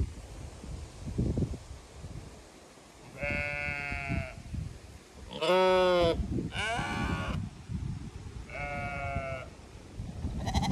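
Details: Flock of Zwartbles sheep in County Kilkenny, Ireland, anticipating being moved to fresh pasture; four separate quavering bleats, the middle one loudest and strongly harmonic, over a low background rumble.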